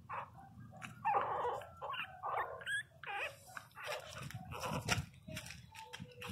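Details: Twenty-two-day-old Pinscher puppies crying: uneven whimpers and short squeals rising and falling, some louder bursts around the middle, over low indoor rumble and handling noise.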